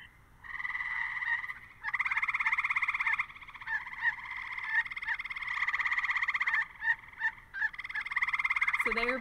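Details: A gray treefrog (Hyla versicolor) gives loud, musical trills, each a rapid burst of pulses lasting a second or more.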